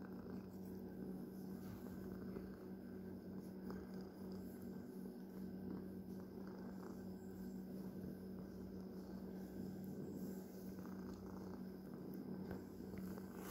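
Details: A pet cat's faint, steady purr: an unbroken low drone at constant loudness from start to finish, with occasional light ticks and no other animals.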